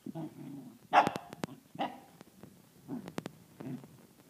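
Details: Six-month-old Pembroke/Cardigan cross corgi puppy confronting a drill, unsure whether to attack or play: a few short, sharp barks with low growly grumbling between them, spaced about a second apart, alongside clicking and tapping sounds.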